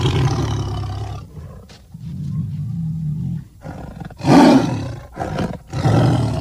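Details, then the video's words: Tiger giving low growling roars: a rumbling opening, a quieter drawn-out growl, then a loud harsh burst near the end followed by two shorter ones. "Tiger Sounds"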